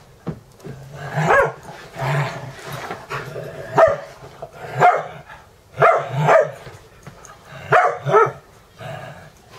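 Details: Playful barking from dogs wrestling one morning, Dexter against Mister while Ecco and Cricket observe, at a boarding home in Valley Village, California; a steady run of short, punchy barks, often paired, about once a second.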